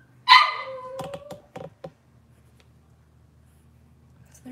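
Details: Cavalier King Charles Spaniel puppy from Robin's litter, filmed indoors on a kitchen livestream: one loud, high yelp that slides down into a thin whine, then a few soft clicks and knocks against a low room hum.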